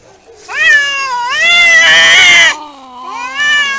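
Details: Cat fight: an intense sustained yowl climbing and wavering, peaking in a rough strained stretch, then easing into a lower moaning growl.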